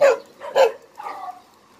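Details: Dog at Hanna's shelter (한나네 보호소), a rescue shelter for abandoned dogs in Daegu, South Korea: two sharp, loud barks half a second apart, followed by a softer, drawn-out whining call that fades.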